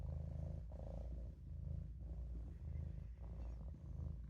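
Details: Short stretch of a napping Maine Coon kitten named Olof purring in a sink, a deep throbbing rumble rising and falling about once per second in even breathing cycles.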